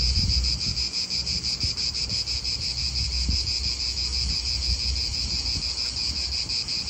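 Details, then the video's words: Continuous high, grating drone of cicadas filling an Italian park, faintly throbbing three times per second, over gusty low wind noise with small bumps. "Cicadas wind real atmosphere in an Italian park"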